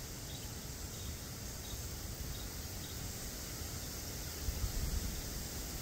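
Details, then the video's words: Steady, high-pitched droning of a black cicada, unbroken across the whole stretch, over a low rumble of ambient outdoor noise with a brief louder thump near the end. "Black Cicada"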